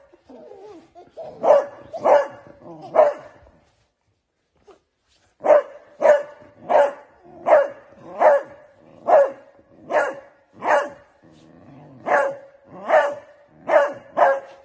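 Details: Beagle puppy playing with a baby gives high, ringing yaps, each short and sharp with a tonal edge, in bursts about a second apart, with a brief pause before a longer run.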